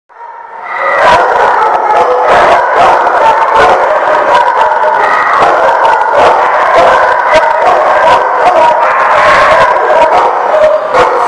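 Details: Many dogs at The Barking Lot, recorded 10/5/18, barking and howling all at once in a loud, unbroken din, with sharp barks bursting out several times a second over layered howls.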